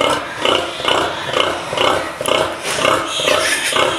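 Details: Pigs in a farrowing pen: rhythmic soft grunts repeated roughly twice a second, steady pulsing pattern with a dense crowded barn background.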